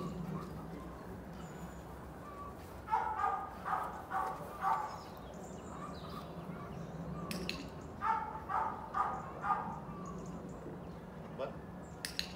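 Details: Border Collie during obedience training, giving two short runs of sharp, mid-pitched barks, each burst three or four quick yaps in a row, separated by a quiet stretch with faint background noise and a few clicks.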